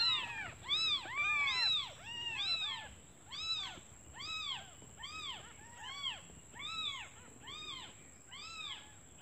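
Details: Newly born kittens, hungry, call to their mother while she is away foraging; insistent chorus of bright, bowed mews that rise and drop, clustered and overlapping, repeating a little faster than once a second over a faint steady whine.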